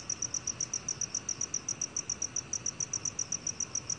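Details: Black field cricket song: bright, clipped high chirps at an even pace of roughly three and a half per second throughout four seconds, with only soft background noise.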